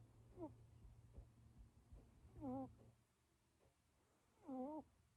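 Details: Luna, a British Shorthair kitten, asleep, gives soft whistling snore tones, each a wobbly, slightly rising squeak, repeated about every two seconds, three in all, over a quiet low room hum.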